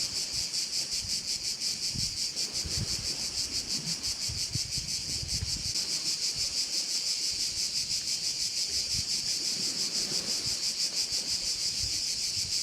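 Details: A bay in Korčula rings with crickets: an unbroken, piercing high chorus with a rapid rhythmic throb. Light wind and distant low surf-like rumble sit behind it.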